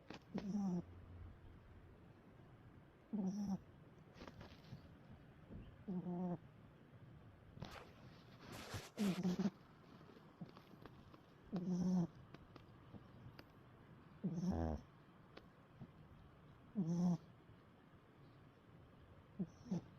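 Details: A dog snoring steadily, with low rattling snores every two to three seconds, each brief and buzzy, separated by quiet breathing and occasional faint rustling.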